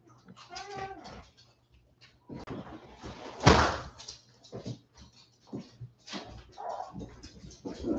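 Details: West Highland White Terrier puppies, 47 days old, back indoors after an outdoor break, give high, harmonic whining cries near the start, then a loud sharp yelp in the middle, with scattered softer whimpers and some human voices in a small room.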